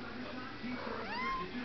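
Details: A cat gives one short, rising-then-level meow near the end, set against people talking and cooing in the background.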